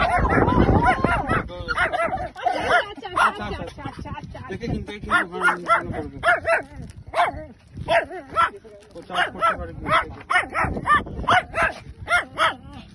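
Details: Play fight between a Shih Tzu and a Lhasa Apso: after an opening stretch of muffled scuffling and talk, a run of sharp, closely spaced yapping barks in uneven bursts, with human voices in the background.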